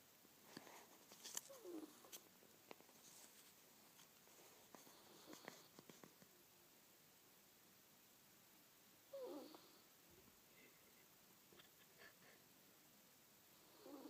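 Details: Manyunya the ferret snores while asleep indoors: brief, soft, raspy snores come at long irregular intervals among scattered light clicks and rustles, and the room is otherwise quiet.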